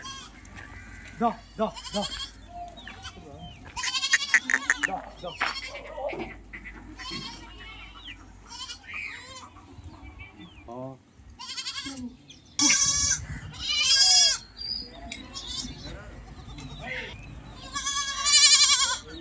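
Several goats bleat in loud, wavering, nasal calls, with people talking in the background.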